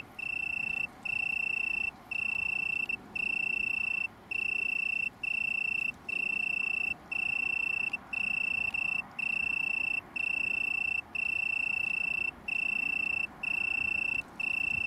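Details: Italian tree cricket from a small colony near Brighton, UK, 21 September 2019: a long series of about fourteen evenly spaced, pure high-pitched trilling bursts, each close to a second, with short regular breaks. Steady low background murmur.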